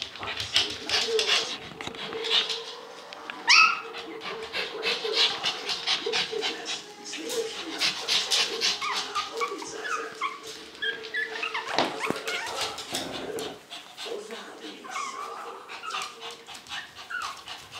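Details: Litter of 4.5-week-old Shih Tzu puppies making scattered squeaky whimpers and short yelps over a steady busy background of shuffling and faint speech, with a sharp louder yip near the start.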